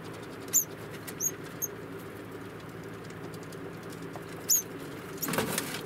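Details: Young female degu, four months old, kept as a pet, uttering quick high-pitched squeaks in a short cluster and then once more. A steady hum runs underneath, and a loud rustling burst comes at the end.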